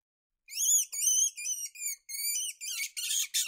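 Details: Weasel giving a run of high, thin squeaks, each a short wavering whistle-like note with bright overtones, about seven in quick succession, the last ones harsher and noisier; no other sounds.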